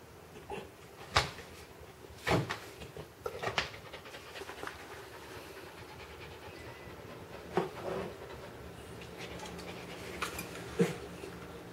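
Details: Siberian Husky puppy named Mel hiccuping after drinking water too fast; sharp, abrupt jolts at irregular intervals, about six across the stretch, between them a faint steady hiss.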